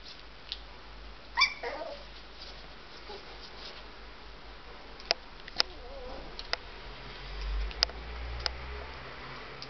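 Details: Three-week-old Bearded Collie puppies let out one short, high, squeaky whimper near the start, then a fainter, softer whine, with scattered sharp clicks and taps around them.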